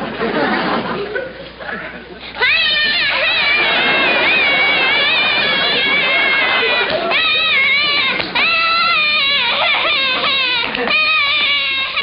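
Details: A stressed baby long-tailed macaque, just dressed and trying to cling, squeals in a tantrum, a run of high, wavering, tonal cries.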